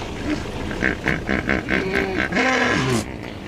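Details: A herd of hippos in water in Kenya, disturbed by people nearby, give a rapid series of deep, wheezy honks and grunts, a defensive territorial display to keep anyone from the shore.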